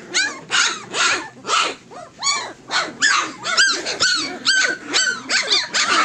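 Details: Tosa Inu litter of fourteen puppies about three weeks old, producing rhythmic bursts of yelping cries roughly twice a second, each a short bent whine with bright harmonics, several voices overlapping.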